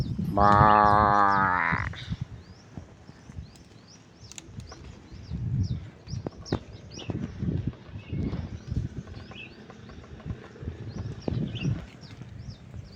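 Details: Cattle grazing outside a farm: one long, harmonic moo near the start rising slightly then breaking off after about a second and a half, followed by quieter munching, rustling and low thumps of feeding.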